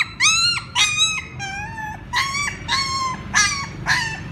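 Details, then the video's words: A puppy calls its mother with eight loud, whining cries in four seconds. Each one jumps up, holds a level pitch, then drops away, over a quiet low background hum. "Sounds Puppies call their mother ||Puppy crying sound"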